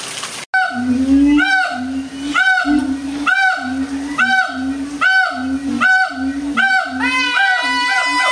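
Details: Loud howler monkeys at the Audubon Zoo, New Orleans, 16 August 2008; steady series of deep, grating roars, about one every half second, sustained throughout with strong harmonic ringing.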